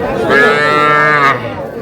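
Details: A single steady calf moo, about one second long, rich in harmonics, rises out of market noise at a Madaripur cattle market in Bangladesh where small bull and heifer calves are traded, with voices before and after.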